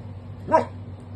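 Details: Labradoodle guarding his home, reacting to someone knocking at the door; one short, sharp single bark over a low room hum.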